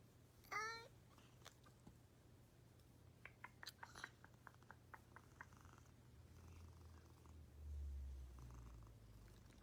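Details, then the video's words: Cat making an odd sound indoors; one short squeaky rising chirp at the start, then a scatter of faint clicks and a soft low rumble toward the end, over a steady low hum. "Kucing suara aneh"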